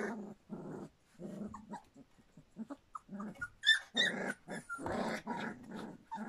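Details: Standard Poodle puppies a little over three weeks old, a litter from River: low grumbling growls and short whimpers in a small room, several pups overlapping, with brief higher squeaks toward the end.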